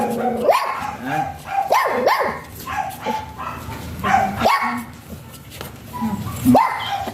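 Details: Short, shrill yaps from Jinbie, a small type Pomeranian, come singly and in a quick pair, spaced a second or two apart, over steady human chatter in the background.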